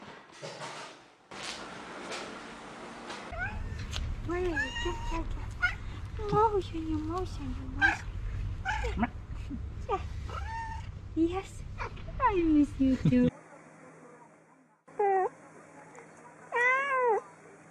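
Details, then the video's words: Domestic cats meowing repeatedly in quick, wavering calls, some short and chirpy, others longer and falling, over a low rumbling background. Later there are a few separate clear meows in a quieter setting. "Videos De Gatos Maullando | Cats Meowing Sound Effect"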